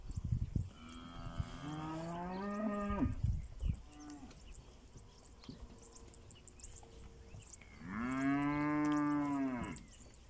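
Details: Pinzgauer cattle in South Africa on a rainy morning, heading to summer pasture: two long, rich harmonic moos, the first wavering and falling over about two seconds, the second steady and strong near the end, with soft hoof thuds between.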